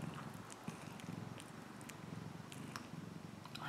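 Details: A purring cat: a close, grainy low rumble throbbing steadily for several seconds, with occasional sharp clicks and light handling noises on top.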